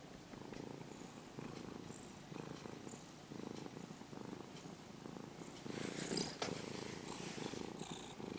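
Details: Purring from a formerly stray brown-and-white kitten, now nearly a house cat, as it is stroked: a steady low rumbling pulse swelling with each breath, with soft rustling and brief scratchy noises from handling.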